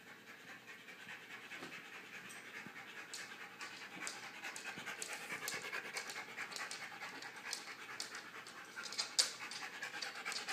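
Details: Siberian Husky that barges into the shot, panting in quick, breathy, hissing bursts that run steadily through the whole stretch, growing slightly louder toward the end, with no other clear sounds.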